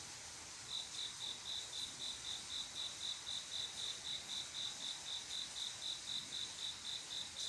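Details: Summer-night cricket song, males calling to females for mating: after a short quiet start, bright high chirps begin and repeat in a regular beat of about four per second against a gentle background hiss.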